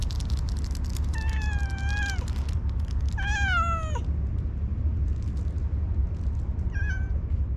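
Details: Orange tabby cat that is slow to open up to people gives two sweet, drawn-out meows, the second falling at its end, then a short faint mew, over constant low-pitched background rumble.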